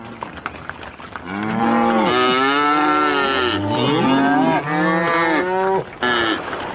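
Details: Cow calling in the field: after a quiet start, a long, loud, harmonic-rich moo runs about five seconds, wavering up and down in pitch with brief dips, before ending abruptly.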